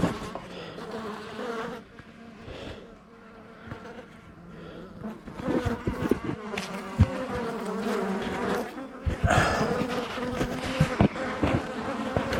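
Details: Honey bee colony buzzing inside the walls of a house built in 1850 during a hive cutout, bees living there two years; steady droning hum with harmonic bands, overlaid by clattering and knocking of wood being removed.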